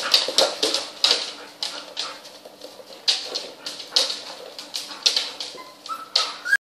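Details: Twelve young puppies at play with their mother dog: a busy run of brief, high-pitched whimpering squeaks and yips, uneven in spacing, ending in a rising thin whine.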